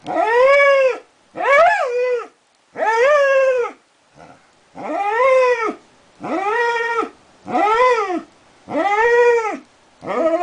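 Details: Border collie named Darwin in a prolonged howling bout, giving repeated bowed, tonal howls of roughly a second each with rich overtones, one brief quiet yelp midway, no other sounds.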